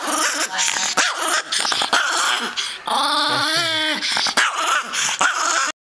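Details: An angry tiny dog snarls and yelps in harsh, strained bursts. Midway it gives a wavering, whining yowl that rises and falls, then returns to continuous rough growling with brief breaks.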